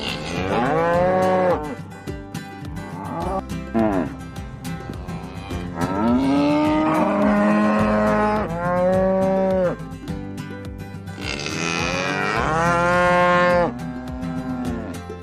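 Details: Cows on a farm, kept for milk and meat, moo repeatedly: around six overlapping bellows, some short and some long and wavering, a few rising in pitch, while background music plays throughout.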